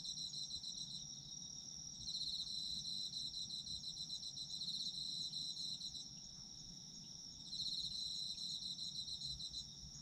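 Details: Chorus of autumn insects, a high ringing trill held steadily while a pulsed chirping layer swells in and out every few seconds, low background hum beneath.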